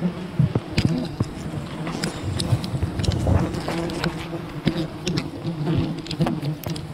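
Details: Wild bee colony disturbed during honey hunting, a dense, steady low buzzing drone from many bees with a faint overtone above, broken by frequent sharp crackles and snaps.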